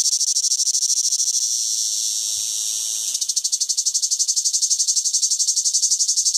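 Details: Cicada in summer giving a shrill, constant buzz: smooth and steady for the first three seconds, then switching to a rapid, even throb of pulses until the end.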